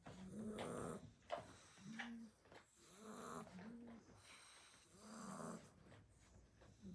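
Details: Seven-week-old blue Staffordshire Bull Terrier puppies asleep after two hours of play at a Christmas party, snoring; soft, wheezy breaths rising and falling roughly every one and a half seconds, with nasal whistling tones.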